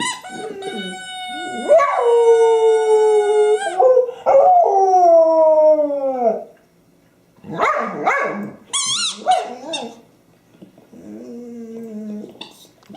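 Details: Honey, a pet dog with her favorite squeaky toy, recorded 24 January 2012, howls in long harmonic wails that slide downward, broken by short barks, high squeaky bursts, and a softer trailing whine.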